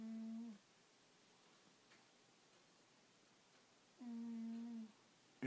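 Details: A sleeping house cat named Angela gives low, steady droning snores, one fading at the start and another about four seconds later, separated by near silence in a small room.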